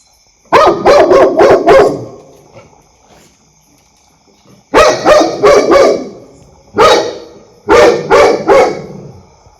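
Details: Dog barking loudly in clusters: a fast run of four or five sharp barks, a pause, then further groups of two to four barks.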